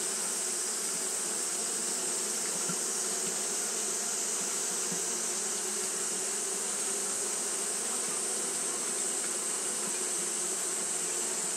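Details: Japanese honey bees fan without rest on a hot day, their low buzzing hum flickering a little over a flat, persistent high-pitched hiss throughout the recording.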